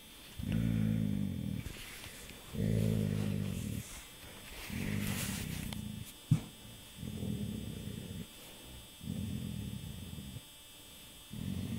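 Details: Dog named Rudy asleep in the dark about a week before his death, giving a run of six low, rasping snores about two seconds apart, with soft rustling and a sharp tap midway.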